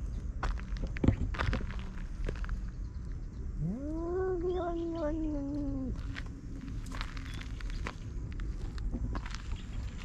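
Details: Cat fight: a tabby-and-white cat chases an orange tabby cat that has invaded its territory. One drawn-out yowl rises quickly, then holds level and sags slightly over about two seconds. Footsteps and rustling can be heard outdoors.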